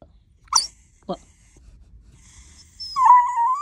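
A Dachshund gives a few short yelps, then a steady, high, slightly rising whine.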